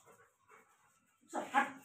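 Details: Rottweiler in Haryana, lunging at its owner to snatch a ball. Near silence with faint scraps of sound, then one loud, harsh burst near the end, rising and falling quickly.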